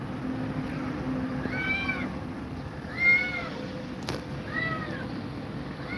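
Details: Cat meows in a scene where Grumpy Cat is scared of two mother cats: three clear, arched, plaintive meows about a second and a half apart, with a sharp knock near the end and faint hum beneath.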